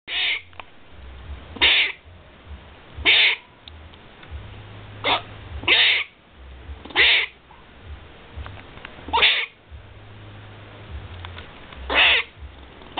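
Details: Squirrel calling with short, harsh, scratchy bursts repeated every one to three seconds, about eight over the stretch, each a brief raspy bark, with a faint low hum running underneath.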